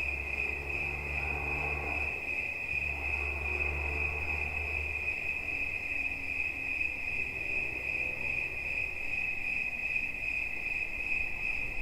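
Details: Continuous high trilling of a cricket, rapid pulses at a constant pitch, while deep low humming swells come and go during the first five seconds.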